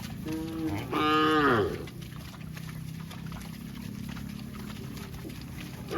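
A cow gives a loud, drawn-out moo that rises and then falls away.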